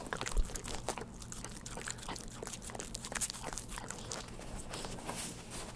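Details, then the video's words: A pet puppy eating a lickable treat indoors, recorded close up without talking: soft wet licking and smacking with small crunchy clicks, irregular and quiet over a low room hum. "우리집 강아지 츄르를 좋아해┃강아지 먹방"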